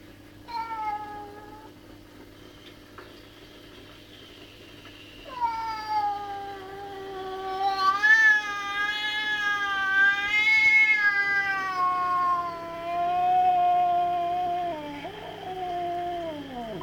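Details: Domestic cat in a home garden, angry at a magpie bullying another cat, yowling long drawn-out wavering howls, a short cry early then a sustained rising-and-falling caterwaul from five seconds on, sliding down at the end.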